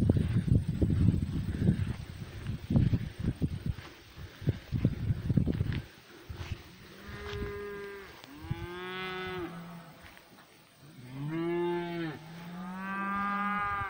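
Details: Pasture cows, noisy herd: rustling and thumping for six seconds, then a series of moos, some rising and bending in pitch, others low and held, several overlapping toward the end.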